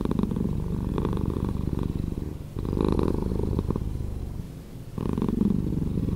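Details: Deep, slowed purring from a domestic cat: a throbbing low rumble with a louder burst near three seconds, a quieter stretch after, then the rumble strengthening again toward the end.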